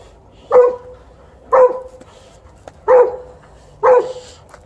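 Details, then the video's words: Alaskan Malamute barking during a game of tug-of-war: four short, mid-pitched barks with a tonal core, spaced about a second apart, over a quiet low hum. "Tug-of-war is a good teath cleaning procedure for Alaskan Malamute"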